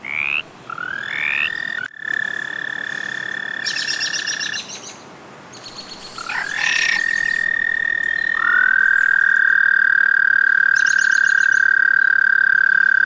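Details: Rainy-night frog chorus of several overlapping callers, with sustained high trills lasting seconds each, rising starts, and short higher buzzy bursts in between, growing louder toward the end.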